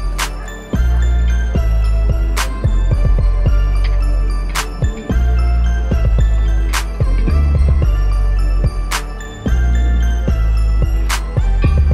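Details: Music with bright mallet percussion like glockenspiel and marimba, a deep steady bass, and sharp accents recurring every few seconds; no animal sounds.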